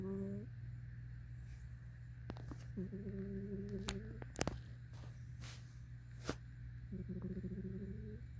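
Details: Sleeping cat snoring indoors: soft, steady, tonal drones with a faint whistle, each lasting about a second and returning every three to four seconds, over a constant low electrical hum and a few sharp clicks.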